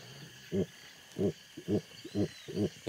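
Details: Jaguar heard in the Pantanal, perhaps a receptive female calling for a mate; short, low, rasping grunts repeated in an uneven series of five or six pulses over steady background insect drone.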